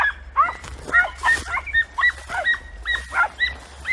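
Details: Podencos of Campo Arañuelo, Spain, hunting in a bramble thicket: a fast, steady chain of shrill, slightly rising yips, several animals overlapping, roughly three barks a second.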